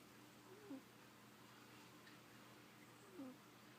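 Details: A sleeping female cat snoring: two short, squeaky nasal whistles about two and a half seconds apart, each dipping slightly in pitch, over a steady low room hum.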